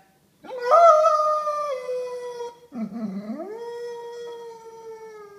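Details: A Basset Hound, told it is time to go home, gives a long, mournful howl that dips low, then rises and holds steady; he howls like this every time.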